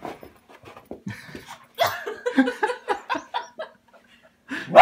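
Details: Welsh Terrier attempting a brutal takedown of a felted robin Christmas ornament indoors; a jumble of rough growly yaps and short barks, rising to a loud bark at the end.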